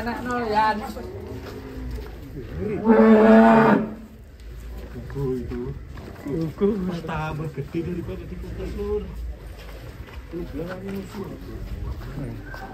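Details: Giant cow Ken Arok Bimasakti, being readied for a cattle contest in DKI Jakarta, gives one loud, drawn-out, low moo lasting about a second amid steady human chatter.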